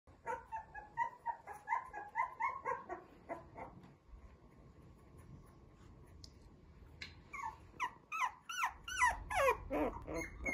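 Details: A young male Shih Tzu puppy with red coat, eyes newly opened, indoors, gives repeated short whimpering yelps, then after a quieter gap breaks into rising, squealing cries in quick succession.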